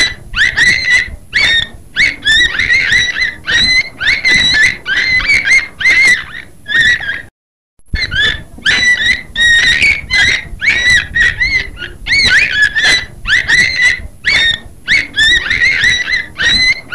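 Beluga whale giving rapid squeaky, nasal squeals in dense, chattering bursts.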